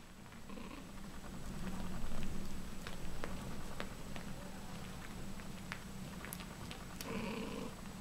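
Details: Ragdoll kittens, three weeks old, purring in a steady low continuous rumble, with scattered soft clicks and rustles and a faint brief mew near the end.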